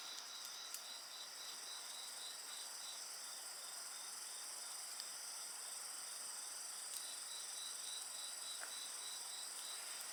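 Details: Night insects chorus near a bonfire, a continuous high-pitched shrill ringing over a rhythmic pulsed trill, dense and unbroken, with only a few faint crackles from the burning wood.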